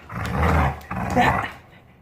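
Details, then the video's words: Jindo puppy making its pig-like grunt, heard only when happy after recovering health, while being readied for a bath: two low, rough, harmonic grunts of under a second each, back to back, then quiet. "진돗개강아지가 건강회복후 기분좋을때 내는 돼지소리"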